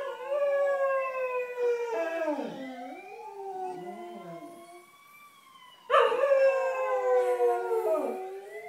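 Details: Cocker Spaniel dogs howling along to an ambulance siren: long wavering howls sliding up and down in pitch, joined by a louder rising-and-falling siren swell near the end.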